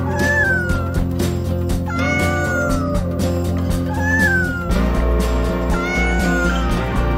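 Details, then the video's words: Cat giving repeated long meows that dip and slide downward, about four calls roughly two seconds apart, heard over continuous rhythmic music. "ANIMAL SOUNDS: Cow, Cat, Monkey, Elephant, Dog"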